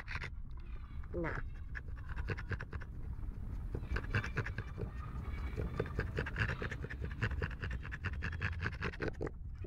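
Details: An overheated French Bulldog pants heavily, each breath a rapid, raspy huff in a steady rhythm, while a person speaks softly throughout, saying it needs to rest.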